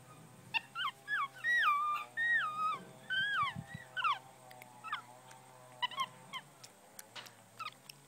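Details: Nine-year-old male black tufted capuchin in a zoo in Tasmania, looking for treats in a pocket; a run of wavering, warbling squeaks that rise and fall, then sparser short chirps, with a woman talking and handling sounds.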